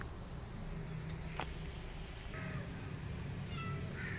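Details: A pregnant cat, starving and asking for food while her abandoned kitten follows her, gives short high meows near the end, over a steady low outdoor rumble with faint clicks.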